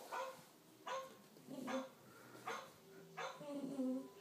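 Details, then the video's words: Puppy barking indoors at a dog on TV: five short, sharp barks with bright harmonics, spaced roughly every three-quarters of a second, over a low background murmur from the television. "Puppy barking at dog on Tv"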